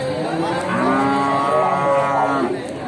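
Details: Simmental cattle, a large breeding cow of Pegon-Simmental type, at a livestock market in Bekonang, Sukoharjo, Central Java, Indonesia; one long, steady, deep harmonic moo lasting over two seconds, with faint crowd murmur behind.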